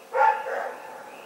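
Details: Rex the dog at Pyrga, 27 February 2018, gives a single short, harsh bark in the night that fades quickly, with faint frog croaking behind.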